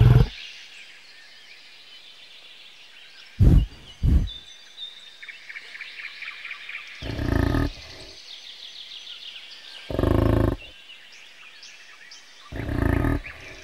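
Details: Short, low rumbling grunts from a bison, spaced several seconds apart, over a steady background of twittering birds.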